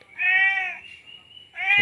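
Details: After mating, a male cat in heat keeps calling the female, giving a long steady harmonic meow and then a second meow starting, with a faint low murmur of speech.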